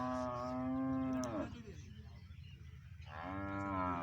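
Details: Friesian heifers offered for sale. One long, steady moo ends with a falling slide at about one and a half seconds. A short quiet gap follows, then a second moo begins.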